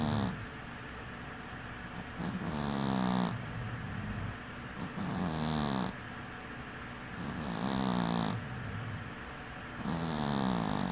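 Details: Cat asleep with one eye open, snoring steadily: rough, low rasping breaths repeat about every two to three seconds, each swelling and fading, with a faint hiss at the top of every inhale.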